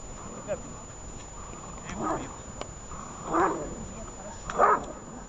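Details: A dog named Shaman during protection training gives three loud, harsh barks, spaced roughly every one and a quarter seconds, over a murmur of human voices.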